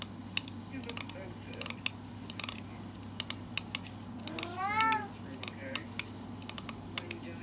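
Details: A pet cat's reaction as its owner tries a trend from TikTok: one drawn-out harmonic meow that rises and then falls near the middle, set against a steady run of sharp clicking and tapping like cutlery on dishes.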